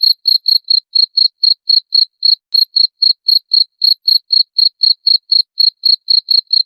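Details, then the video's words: Cricket calling, a very clear recording played to train songbirds: short bright chirps repeated about four times a second in an even rhythm, with faint high ticks above; quiet background. "SUARA JANGKRIK MASTERAN UNTUK SEMUA BURUNG"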